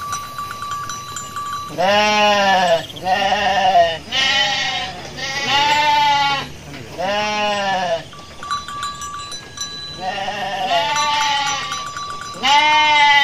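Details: Garut sheep ewe, giving birth while foraging, bleats repeatedly: about eight wavering, nasal bleats in quick succession, some rising then falling, over a steady faint tone.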